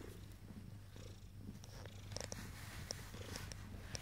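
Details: Ten-day-old Abyssinian kittens purr in a steady low rumble throughout, with small soft clicks and rustles above it.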